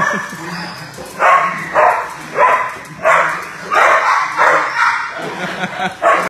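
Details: Marble, a male Great Dane aged three to four years, fostered by a rescue in South Carolina, barks while playing and socializing: a string of about ten hoarse, full barks in uneven bursts, some doubled, with faint background noise between them.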